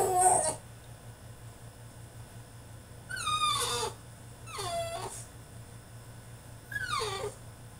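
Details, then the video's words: French Bulldog throwing a tantrum in his cage: whining, yelping cries, one short at the start, then three drawn-out descending wails around three, four and a half and seven seconds, over a steady low hum. "FRENCH BULLDOG THROWS TANTRUM IN HIS CAGE!!"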